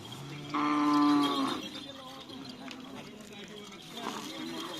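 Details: Cattle at Karapan Sapi bull race training on the Asemanis field in Pamekasan, one animal giving a single steady, droning moo of about a second over a noisy background of crowd, wind and distant music.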